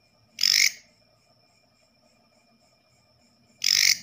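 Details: Katydid that came indoors at night, its call one usually heard in the forest: two short, harsh, raspy high-pitched bursts about three seconds apart, with a faint steady high whine and soft low murmur between them.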